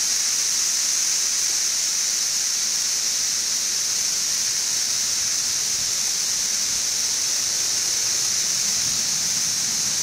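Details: Central Kentucky's brood XIV of 17-year periodical cicadas, west side of Frankfort, June 2008, filmed two weeks after emerging en masse; the massed insects produce a continuous shrill, static-like wall of sound with no breaks or change in pitch.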